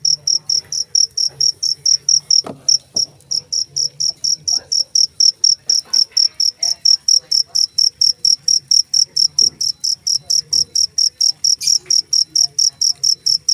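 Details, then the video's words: Cricket giving rapid, shrill chirps in an unbroken regular series, about two each second, with a couple of brief clicks and a soft low hum behind. "suara jangkrik"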